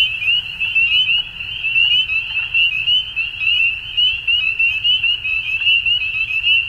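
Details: Frogs at dusk in spring in Ontario, Canada, producing a thick chorus of sharp, high peeps, rapid and overlapping, some louder nearby callers standing out about once a second over faint low rumble.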